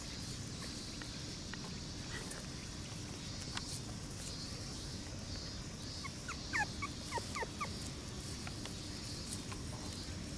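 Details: Red Shiba Inu puppies, four siblings born 4 August, on their first outdoor play and startled by the unfamiliar surroundings, filmed 28 August 2018; a quick cluster of short, high squeaky yelps midway over a constant insect buzz.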